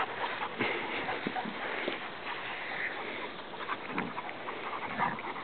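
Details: Ozzy, a 9-month-old English Setter puppy, plays catch and keep-away with Sassy, a 7-year-old Irish Setter, recorded on a small Nikon camera while walking. Rapid rough panting bursts run steadily through the clip.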